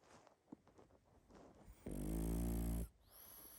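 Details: Snoring from a sleeping pug: faint snuffles and clicks lead into a single loud, droning, nasal snore of about one second with a steady buzzing tone, then quiet breathing.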